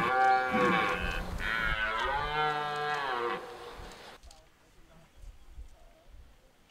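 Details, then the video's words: Two back-to-back bellowing roars from a red deer during the rut at De Hoge Veluwe park in 2023, deep and strongly harmonic with a wavering pitch, then the forest falls quiet apart from faint rustling. "Bronst Edelherten 2023"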